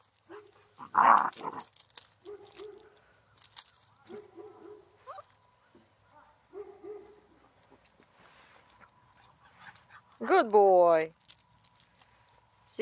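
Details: Central Asian Shepherd (alabai) puppy Zephyr, praised as a good boy while climbing, lets out one loud, drawn-out, wavering whine near the end, amid a woman's soft talk and light rustling.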